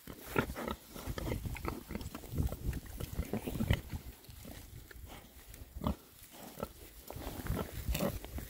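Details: Six male rare breed Oxford Sandy and Black pigs foraging contentedly outdoors in winter between storms; a dense run of short, low grunts and snuffling clicks, some bursts louder, with rustling underfoot throughout.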